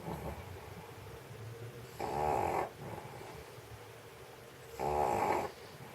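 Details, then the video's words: Elderly stray dog asleep on a warm floor in a Sheregesh studio after a sausage meal, giving two rough, buzzing snores roughly three seconds apart amid quiet room hiss. "Собака спит и храпит, как человек."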